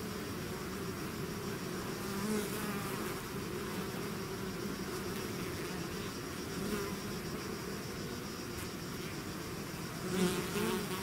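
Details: A swarm of bees leaving the hive fills the air with a constant deep hum, individual fly-bys rising briefly above the drone, one louder pass near the end.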